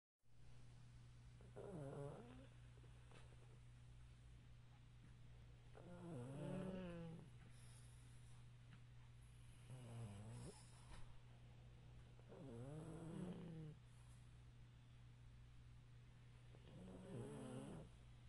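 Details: Chubby pug dog asleep while sitting up on a couch indoors, snoring in low rasping breaths that recur about every four to five seconds, each with a wavering harmonic rattle, over a steady low hum.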